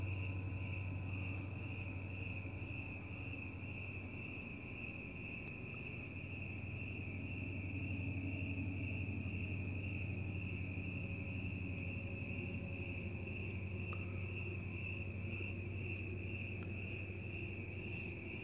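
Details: Chirping crickets on a fresh night outside, cats present; a long, constant high trill with rapid regular pulsing, low hum underneath and a few faint clicks and taps scattered through.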